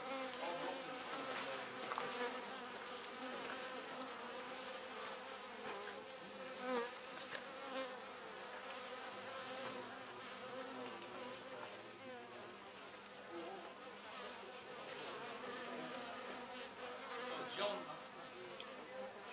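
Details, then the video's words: Continuous drone of a wild honey bee colony housed in an old storage box at the Anson Engine Museum; many overlapping buzzes waver in pitch, with occasional louder passing bees swelling above the even hum. "Honey Bees at the Anson Engine Museum"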